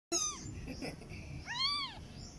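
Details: Newborn kitten crying with two thin, high-pitched mews: a short falling one at the start, then a longer arched cry that rises and falls about a second and a half later, over a faint low background rumble.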